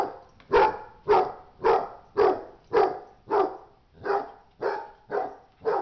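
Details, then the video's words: Fighting dog barking steadily: around ten harsh, evenly spaced barks, roughly two per second, each sharp at onset and fading briefly. "dog fight"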